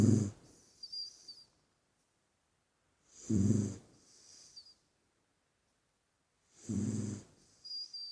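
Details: Sleeping puppy breathing noisily: low, rumbling snores spaced about three seconds apart, each answered by a soft airy exhale and a brief high whistle.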